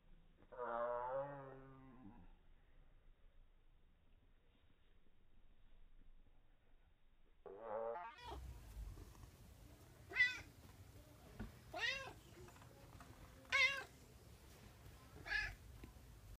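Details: Kuma, a male Bengal cat in heat, cries when touched. Two long, slowed, deep moans are followed by four shorter wavering meows at normal speed, spaced about two seconds apart.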